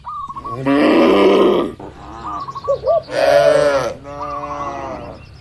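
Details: Tame cattle among dozens crowded in a farm pen: two long, loud, rough moos about two seconds apart, with short repeated bird chirps in the gaps between them.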